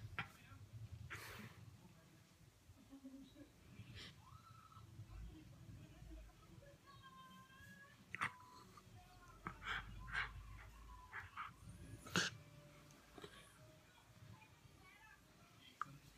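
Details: A female Miniature Schnauzer gives soft, high, wavering whines and snuffly breaths in the evening, asking for cuddles. Once she starts, she never stops.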